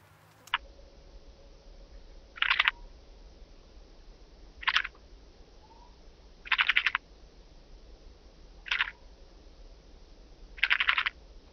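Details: Blue band-winged grasshopper, Oedipoda caerulescens, at Mörnsheim, Germany, on 14 July 2023: short rasping buzzy bursts of about half a second, repeated roughly every two seconds, over a low steady hiss.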